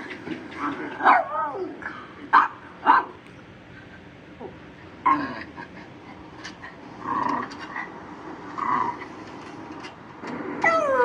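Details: A pet Shih Tzu reacting to different sounds gives short, sharp barks, a quick burst near the start and two more a second apart, then another after a pause, with people talking quietly between them indoors.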